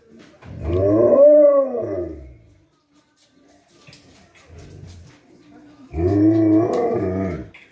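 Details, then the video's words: Two Alaskan Malamutes give long rising-and-falling howls welcoming their owner home after a day of work. "Blade & Selene Alaskan Malamutes howling welcome"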